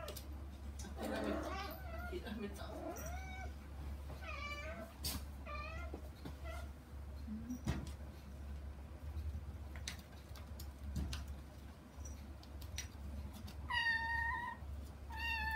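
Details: Kittens Saba and Kagishippo calling toward their mother Hana through frosted glass; a run of short rising meows in the first half, faint soft speech in between, then two clear high meows near the end over a low hum.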